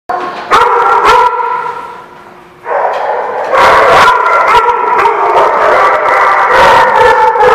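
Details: Several dogs barking in a kennel or boarding lot, recorded 26 February 2016; dense, overlapping barks in rapid bursts with sustained chorus, a brief lull near the start before the barking swells again.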